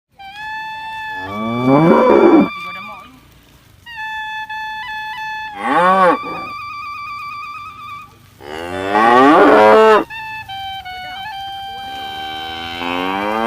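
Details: Tame cows being herded during the day give loud, drawn-out moos that rise and fall, over steady tonal music.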